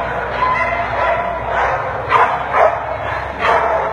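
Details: American Pit Bull Terrier at a dog show: a few sharp, muffled barks at about 2, 2.6 and 3.5 seconds over a steady hum of crowd chatter and hall noise.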